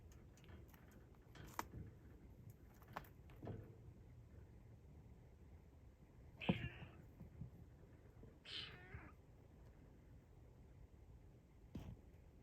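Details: Former rescue kitten in a cage, reaching through the bars trying to grab a strap, gives short bright meows around six and a half and eight and a half seconds, with faint rustling and handling noises indoors.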